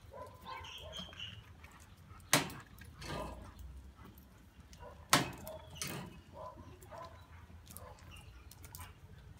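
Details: Doberman barking: two sharp, loud single barks about three seconds apart, each followed a moment later by a softer bark, over a steady low background rumble.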